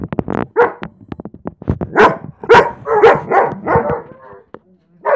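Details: German Shepherd excited to see its owner return home, giving a rapid run of short, tonal yelping howls and whines in uneven bursts, rising and falling in pitch, with brief quiet gaps between the louder cries.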